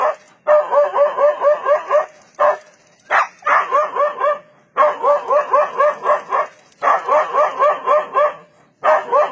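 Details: Facing a leopard, a dog barks in fast, even volleys of sharp barks, about four per second, broken by short silences; the barking is said to have saved it from the leopard.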